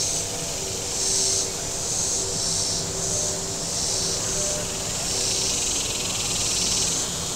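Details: Shoreline cicadas at Table Rock Lake, southern Missouri, in warm weather: shrill buzzing rising and falling in rhythmic surges roughly once a second, with faint low tones from passing boats.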